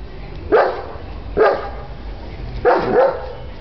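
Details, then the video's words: German Shepherd, a female, barking at the door: three loud, harsh barks spaced about one second apart, the last a double bark, while a person urges her on in the background. "German Shepherd Dog Barking"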